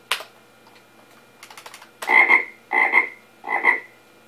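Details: Frogs from a sample sound file bundled with Sound Blaster Vox kit software, played back on an old computer: three harsh, buzzy croaks about 0.7 seconds apart, preceded by faint keyboard clicks.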